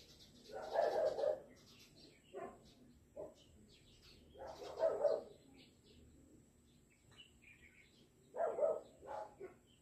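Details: Stuck cat in Taiwan crying out with three drawn-out, mid-pitched meows spaced about four seconds apart, with faint shorter sounds and a steady high hum between them.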